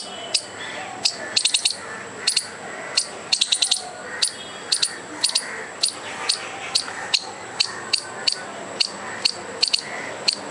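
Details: Squirrel making furious noise to scare off a dog and a person: sharp, harsh chipping calls, first in quick bursts of three or four, then single notes repeated steadily about twice a second over a faint steady hum.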